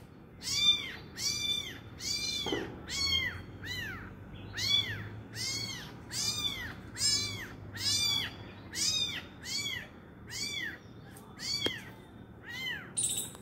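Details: Domestic cat, with an injured mother cat and her abandoned kitten, gives a steady run of about fourteen arched, whining meows, roughly one per second, each rising then falling, over a quiet indoor background.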